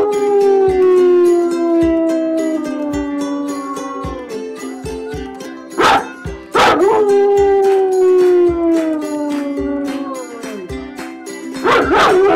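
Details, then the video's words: Dog howling in long, slowly falling drawn-out notes, broken by two short sharp yelps midway and another outburst at the end, with continuous plucked-string music underneath. "How to stop Howling and barking in dogs"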